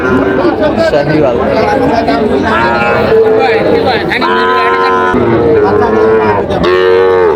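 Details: Sahiwal bull calf at a busy cattle market in Chandpur, Bangladesh, on 23 July 2025, giving several long, harmonic, wavering moos, some rising then falling, over steady crowd murmur and background noise.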